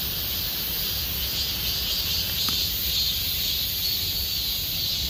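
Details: Cicadas singing in summer in Gomsol Nuri Forest, Sihwa district, South Korea: a dense, unbroken high-pitched shrill drone that holds steady throughout, with a single faint tick midway and low background rumble.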